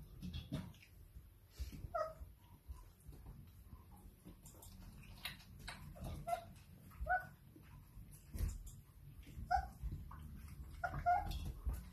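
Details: Playful Irish Setter puppy after dinner: brief, thin whimpering squeaks scattered through the clip, some in quick pairs, over low room rumble, clicks and bumps from movement.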